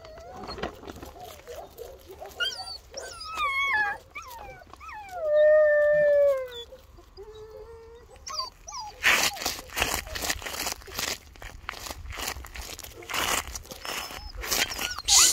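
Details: Bernese Mountain Dog puppies aged two months: at first a cluster of short squeaky whines, then one long, loud, wavering howl-like whine that bends downward, followed by a run of sharp broadband clatter and knocks.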